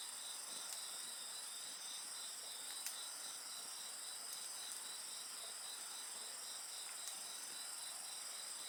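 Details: Continuous insect chorus of bright, shrill, sustained tones and a beating trill, roughly steady in loudness, with scattered fire crackles and sharp pops from a bonfire.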